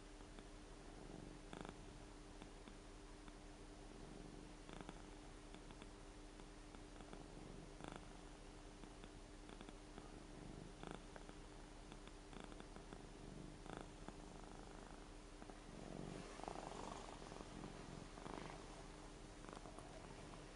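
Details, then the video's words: Rara, a seven-year-old fluffy Ragdoll cat, snoring while asleep indoors; soft, low rumbling breaths with faint clicky pulses recur every second or two over a steady background hiss. "もふもふ猫いびきグーグー ＝Fluffy cat's snoring＝"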